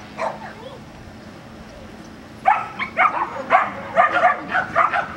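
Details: Border Collie at an agility training session in Vale do Sol, Guapimirim, Brazil: a brief bark, a quiet pause, then a rapid run of loud, clipped barks in the last half.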